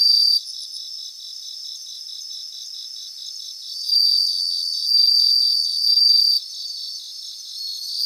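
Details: Several bell crickets sing in grassland. Bright, high tinkling trills rise in loud bursts around the middle, over an unbroken train of rapid, even pulses. The chorus is dense and no other sounds are heard.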